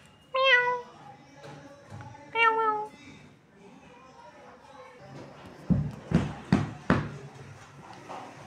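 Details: Kitten fighting with its mother cat: two loud, clear meows with stacked harmonics near the start, then quieter rustling and several sharp, broadband scuffling bursts toward the end.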